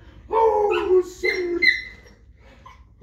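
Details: Shetland Sheepdog howling along to a person singing the national anthem indoors: two short tonal howls, the first wavering and falling, the second a steadier high drawn-out note fading away, then quiet.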